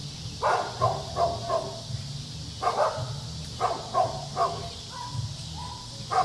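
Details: Dog at play with kids, producing quick rapid barks in short runs, ending with a couple of higher, drawn-out whine-like yelps over a low steady hum.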